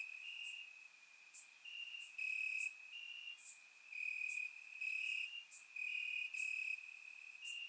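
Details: Night chorus of crickets in Bulgarian grass on a warm summer evening: continuous high-pitched trilling with louder overlapping chirp bouts starting and stopping roughly each half second, captured by a surround microphone.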